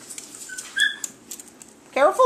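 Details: Seven-week-old puppies playing indoors: a thin, high whimper, then a short burst of squealing, wavering cries near the end, with quiet human talk in the background.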